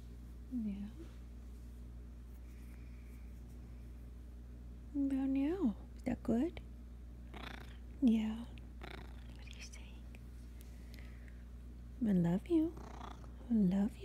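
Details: Talkative Russian Blue pet cat, Blue, produces many short meows and chirrups in clusters, several with a falling then rising bend, separated by quiet gaps, with a steady low hum throughout.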